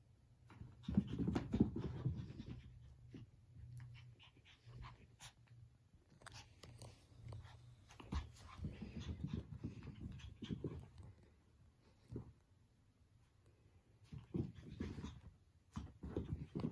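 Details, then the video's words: A puppy pants and huffs in quick irregular bursts while trying to get his favorite toy back from his cat housemate. Soft scuffling and rustling sounds come from play indoors, with quieter gaps between the bouts of breathing. "Puppy tries to get his favorite toy back from his cat brother!"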